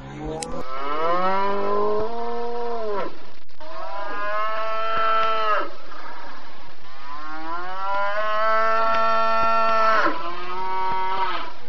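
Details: Cattle giving long, loud moos, each two to three seconds of rich harmonic tone that rises slightly and sinks at the close, three calls in a row with a steady hiss behind.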